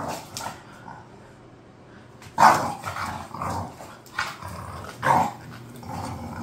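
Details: Khan and Ali, two bored house bulldogs, let out rough growling grumbles, loudest near 2.4 and 5.1 seconds, with softer grunts between and a steady low background hum.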